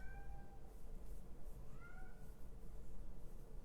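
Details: Male kitten shut outside, demanding to be let in: two drawn-out meows, the first fading out and the second rising then falling, heard over a constant low background hum.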